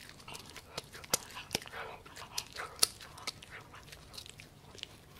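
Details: Pomsky named Gureum, a Husky–Pomeranian mix born 7 December 2018, chomping on pork. Crisp bites and clicky crunches come in quick uneven bursts, with a couple of bright snapping hits, indoors and otherwise quiet.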